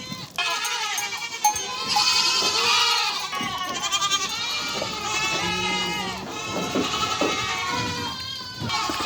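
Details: Goats and kids on a farm, kids suckling with their mothers at a reunion of goats and kids; many overlapping wavering bleats, high and harmonic-rich, calling almost continuously over a busy background.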